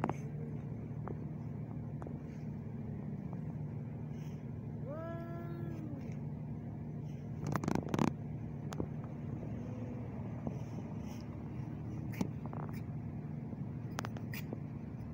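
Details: Two male ginger cats quarrelling outdoors in Sharjah, UAE: a loud harmonic yowl bends up then down midway, with softer moaning calls before and after, set against constant vehicle rumble and scattered clatter.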